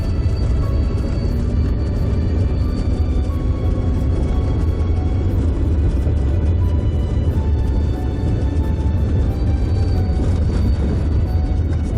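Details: Loud dramatic music plays throughout, with no animal voice.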